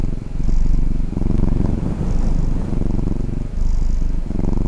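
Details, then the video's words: Pet cat purring while dozing, a thick low rumble in three long breath-paced swells with faint breathy hiss in the upper range. "打擾熟睡主子 貓咪呼嚕聲"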